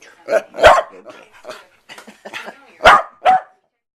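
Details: House Corgi reacting to an owner's sneeze with a few yelping barks and whiny sounds, overlapping a woman's soothing voice.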